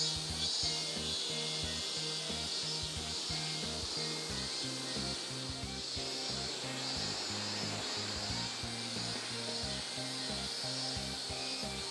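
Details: Steady hiss and rubbing noise over a low, pulsing musical bass, with no animal calls.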